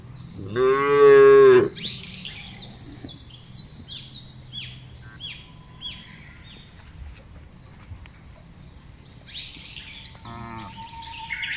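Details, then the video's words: Cattle being herded across a wide grassy pasture, thousands moving calmly. A single loud, full moo comes early, then a faint distant moo. Lively bird chirping and twittering fill the rest. "Menggiring Sapi Lembu Berkeliaran menyusuri Padang Rumput yang luas dan diiringi suara sapi"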